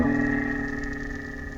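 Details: An underwater recording of a minke whale, the smallest rorqual at about 7 metres, gives an eerie, steady, humming tone with a bright, ringing overtone, strange and almost electronic.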